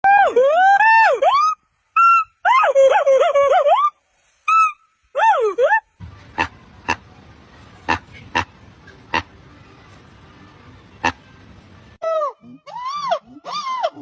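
A monkey utters bursts of tonal, rising-then-falling calls, sometimes several in quick succession. A stretch of hiss with sharp knocks or clicks interrupts before the arched calls return.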